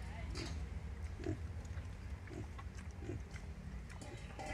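A wild boar sow gives soft, low grunts repeated about once a second while nursing her piglets.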